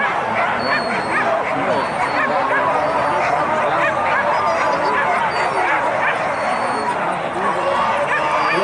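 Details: Pack of hunting dogs chasing wild boar in a traditional Minangkabau hunt, West Sumatra, Indonesia: a dense, continuous tangle of overlapping yelps and excited barks, mixed with steady human chatter and shouting throughout.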